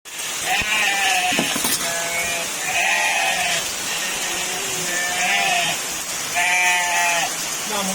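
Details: Goats bleat in wavering, nasal cries over the steady hiss of very heavy rain.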